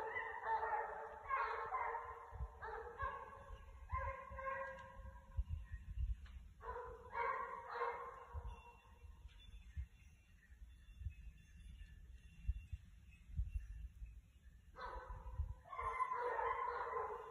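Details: Six Basset Hounds trailing a rabbit on a December hunt: bursts of overlapping, harmonic bays and howls from the pack, fading into a quiet gap with light rustling and footsteps, then the chorus of several voices resuming strongly.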